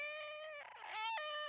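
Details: Cat (Felis catus), drawn-out meow: demanding something, such as food or water.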